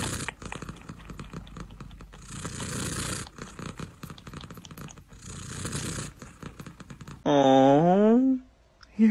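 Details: Indoor recording of a blue-eyed Siamese cat meowing. After several seconds of rustling and low murmuring, one loud, rich meow sounds near the end: it dips in pitch, then climbs back up, lasting about a second.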